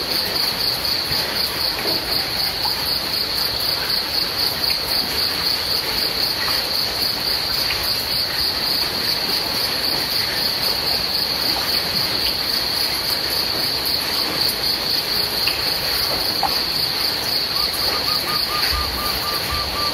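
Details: Crickets trill without a break during rainfall, a sharp high pulsing tone repeating many times a second, with heavy rain hiss underneath and a faint steady lower tone near the end.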